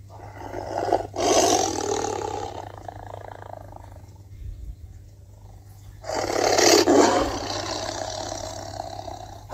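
Two powerful roars from a Bengal tiger, rough and throaty, each rising to a loud peak before trailing off. A steady low hum sits beneath them.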